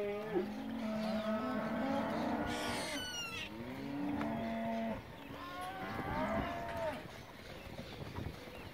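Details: Mixed group of fifty Angus calves, males and females around 200 kg, held for a December 21 auction in Junín; dense chorus of overlapping bawling moos, one short high rasping call, calves calling almost continuously.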